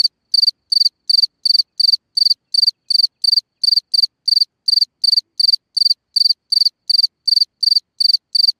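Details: At night a cricket sings from its hole in the ground, giving a steady train of high, pulsed chirps, roughly three every second, evenly spaced with no other sounds.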